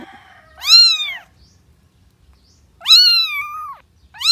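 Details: A cat meows twice, well spaced. The sounds are clear and tonal, arching up and then down, and the second is longer and flatter. A third meow starts at the very end. The room is otherwise quiet.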